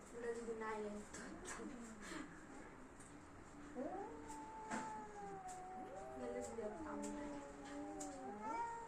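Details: Bad-tempered domestic cats in a fight start with human chatter and clicks. Then a long rising and falling yowl builds, with overlapping wailing tones toward the end.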